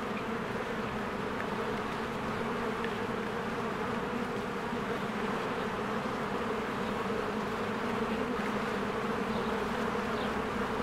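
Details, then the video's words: Honeybees swarming in and out of their hive in spring among blooming flowers, a dense continuous low humming buzz of many wings, steady and even throughout without pause. "1 Hour of a Beehive ASMR"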